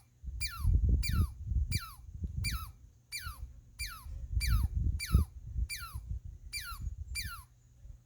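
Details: Eleven sharp squirrel squeaks in about eight seconds, each a high tone swooping quickly down in pitch like a sci-fi blaster, repeated steadily over a strong low rumble.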